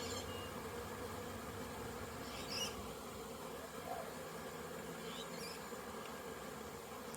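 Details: Busy honey bees on orientation flights at their hive after a rainy spell, September 2022, out and about in numbers; an unbroken low buzzing drone with a few faint high chirps in the background.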